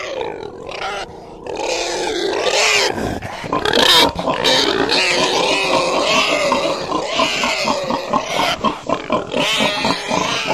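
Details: Pig squealing loudly at first, then settling into rapid, rhythmic grunting pulses repeated roughly every second toward the end.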